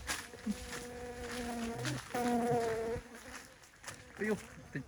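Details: Bee buzzing, a steady droning hum held for about a second and a half near the start and again between two and three seconds, with faint rustling and murmuring behind.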